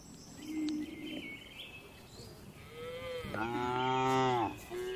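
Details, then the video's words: Tame cattle relaxing in a spacious farm barn give a single long harmonic moo late on, rising then flattening, after a quieter low lowing and faint higher squeaks from other animals. "Calm Cattle Sounds"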